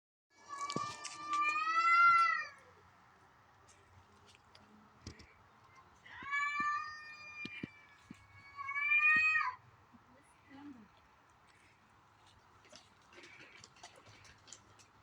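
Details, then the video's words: Domestic cats, a white one and an orange one, in a backyard in the morning, possibly a female in heat or a fight. Three long, wavering, drawn-out yowls rise and fall, with faint clicks and knocks between them. "Random cats making noise in the backyard this morning"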